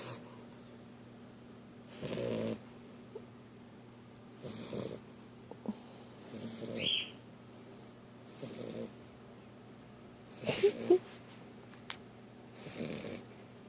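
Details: Snoring from a young female dog sleeping on her back with her mouth open: raspy, airy breaths repeated about every two seconds, with faint small clicks and rustles between them.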